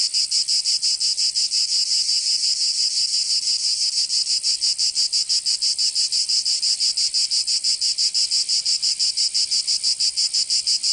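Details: Summer cicada chorus in Provence, southern France: a continuous shrill, sizzling drone beating steadily about three times per second, with nothing else audible.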